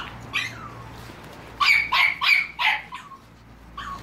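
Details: Staffordshire Bull Terrier and American Staffordshire Terrier puppies, filmed 30 July 2017: a faint early yelp, then a quick burst of four high, sharp yapping barks in succession, followed by a softer squeak near the end.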